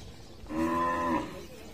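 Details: Water buffalo calf, one of several calves playing together at a market, lets out a single drawn-out harmonic moo of under a second. The moo swells and fades over a low background murmur.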